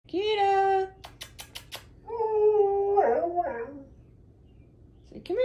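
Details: Siberian Husky howling in drawn-out, steady tones with rich overtones, the first lasting under a second. A series of sharp taps follows, then a longer howl that wavers and bends downward near the end. A voice is heard just afterward.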